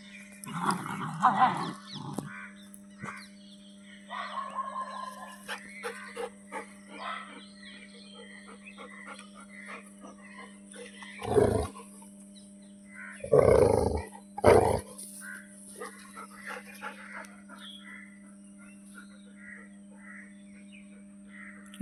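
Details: Labrador Retriever on a morning walk, with a few short, loud barks in quick succession midway, spaced about a second apart. Quieter scattered sounds come before them, over a steady low electrical hum.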